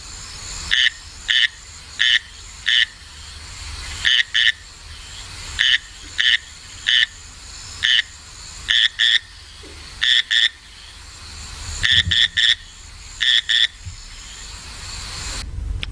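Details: A male frog recorded in the Nepal Himalaya in the 1970s, of a species living near and above torrents, sings short, bright, rasping notes, mostly in pairs. At the end its notes bunch into faster clusters, a territorial change warning a nearby rival male.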